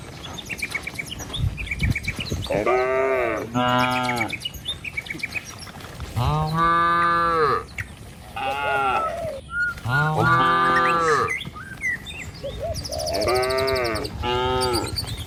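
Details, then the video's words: A herd of cattle moving along a village road lined with trees and rice fields, headed toward a truck and pen. Several harmonic moos, about a second each, come in irregular bouts, with bird chirps twittering high above. "Gembala Kawanan Sapi Lembu Di Jalan Truk Menuju Kandang, Suara Cow Sepanjang Jalan Desa"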